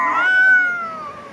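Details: Cat during a fight, one drawn-out tonal yowl that swells then slowly falls and fades over under two seconds.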